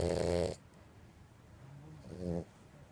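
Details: Snores from Purin, a two-year-old female French Bulldog, sleeping indoors: a loud, harsh rasping breath fades into quiet, then a shorter, softer snore follows about two seconds later.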